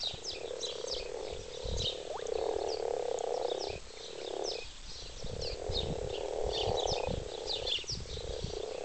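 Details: Many frogs mating in a wildlife garden pond call together in a steady, low purring chorus, with small birds chirping above.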